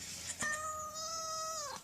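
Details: Domestic cat asking for food in a strange voice: one long drawn-out meow, holding a steady tone for over a second before dropping at the end, with a person speaking briefly around it.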